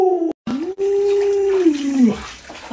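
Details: Indoors, the pet Alaskan Malamute Lolo voices a short howl, breaks off, then holds a long steady howl that bends downward at its end, with splashing and a person speaking in the background.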